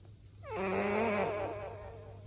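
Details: Sleeping cat giving a single nasal, whistling snore that opens with a quick downward sweep, holds a wavering tone for about a second, then fades against a faint low room hum.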